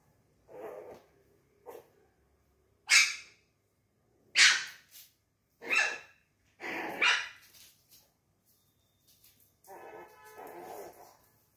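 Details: Chihuahua puppy playing alone: a run of sharp, high barks, several loud single yaps spaced about a second apart, with softer muffled yips at the start and end.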